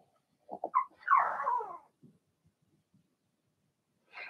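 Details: In an indoor puppy pen, a young Blenheim Cavalier King Charles Spaniel from a litter of six lets out three quick rising yips, then one longer wavering howl-like cry, with soft snuffles after and a brief high squeak at the end.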